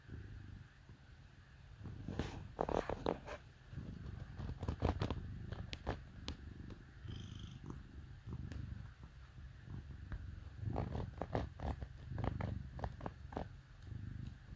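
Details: House cat snuggling with dogs on a cold winter day purrs loudly in low, regular pulses, interrupted by scattered clicks and rustling handling noises.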